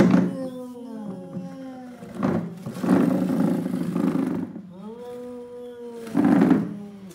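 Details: Two domestic cats, a tall cat and a lion cat, about to fight while a chair keeps them apart indoors; long low drawn-out yowls with rising and falling harmonics, repeated several times, broken by loud bursts and thumps.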